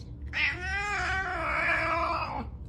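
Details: Pet cat giving a single drawn-out meow of about two seconds, rich in harmonics, rising at the start and then held steady before fading, with a person speaking to it indoors just before.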